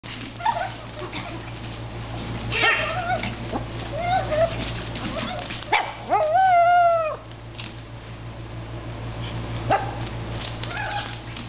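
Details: Japanese Chin dogs playing indoors at a shop: scattered short yips and barks, then a long harmonic whine that rises and falls around the middle, over a steady low electrical hum.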